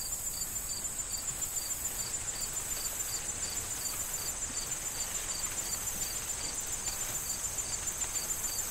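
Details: Crickets call from an autumn corn field awaiting harvest, with wind rustling the stalks; regular short high chirps, two to three a second, ride over a continuous high insect buzz and soft background rustle.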